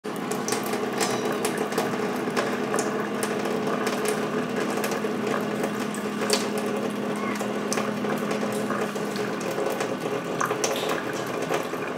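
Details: A steady indoor mechanical hum runs throughout, with scattered clicks and faint voices.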